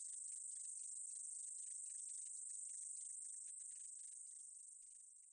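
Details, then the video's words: Meadow katydid from a National Institute of Biological Resources recording, 2020: a steady, hissing high buzz packed with rapid ticking pulses, about 214 per minute, holding level before slowly fading over the last second. "쌕쌔기, 여러번 듣기, 곤충소리"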